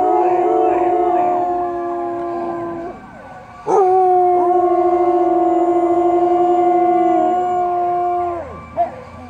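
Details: Samoyeds singing as a group: overlapping drawn-out howls with steady pitches, one voice dipping and rising. A short break falls around a third of the way in, then a loud, long, level howl follows, ending in a brief yip.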